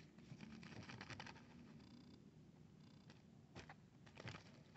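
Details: Domestic cat purring while a kitten plays with an adult cat; low, steady rumbling purr throughout, broken by bursts of rustling and scuffling from the play.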